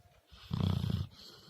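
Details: Sleeping pet dog snoring loudly indoors: one deep, rumbling low snore lasting about half a second, rising out of quiet breathing, with faint room hiss behind.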